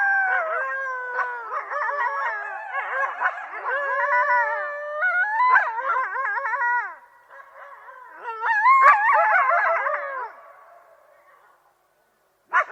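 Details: Coyotes calling together, a chorus of overlapping wavering howls and rapid high yips that swell, fade briefly, then rise again before dying away to silence.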